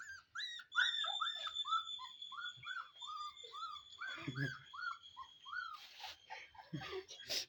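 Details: Golden Retriever puppies at play with a small child give a steady string of short, bent, whining yelps, several each second, over a constant high electronic tone, with thumps and a brief voice near the end.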